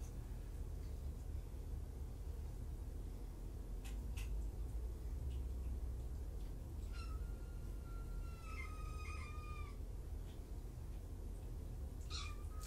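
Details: Kittens at the Purrfect Pals shelter, two litters surrendered in Tacoma, recorded indoors on 3 July 2017. A long, level, whistle-like meow followed by shorter higher mews, then one more near the end, over a constant low hum.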